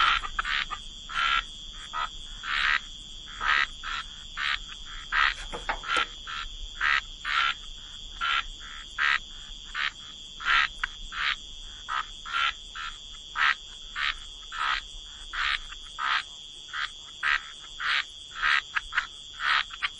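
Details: Frogs calling by the waterside in a relaxing wetland soundscape: short raspy croaks repeated steadily, about two per second, overlapping from several callers, with a constant high insect-like hum in the background.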